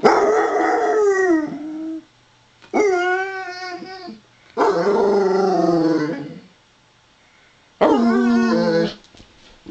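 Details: Female Basset Hound greeting, saying hi with a howling vocalization the owner calls a "Wookie Chuckle": four long, wavering, harmonic-rich howls of one to two seconds each, separated by short pauses, indoors.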